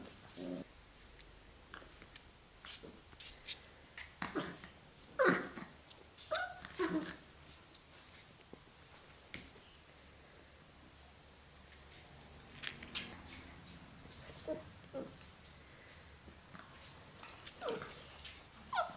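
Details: Young Labrador Retriever puppies settling into an indoor room kennel, 8 June 2015; sporadic brief whines and squeaky yelps, a louder cluster around the middle, with quiet gaps and light rustling between.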